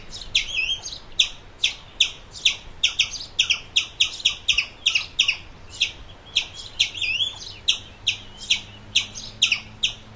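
A squirrel gives sharp, high chipping calls, repeated steadily about three times a second.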